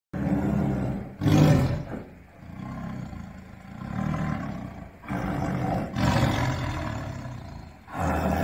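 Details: A tiger growls in deep, rumbling bursts that swell and fade, sounding like an idling car engine.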